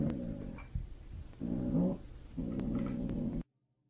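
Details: A Doberman puppy "sings" along to music played for it, giving low, wavering howls in three drawn-out bursts with faint musical tones behind, while people praise it.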